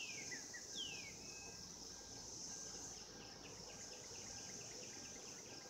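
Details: Cicadas calling in 2016 during mating: a steady, high, shrill buzzing drone runs throughout, while a few descending whistled sweeps open the recording and faint rapid chirps repeat in the background.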